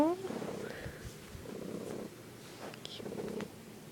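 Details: Pet cat in a bedroom producing a strange purr, captured on an iPod: a brief tonal cry at the start, then pulsing low purring bursts in several waves with faint human voice mixed in.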